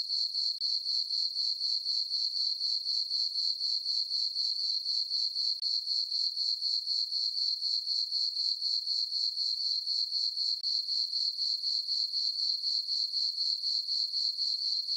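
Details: Crickets chirping through a peaceful summer night in a meadow on a farm under a full moon; a steady high-pitched trill pulsing about four times per second, very regular, with no other sounds.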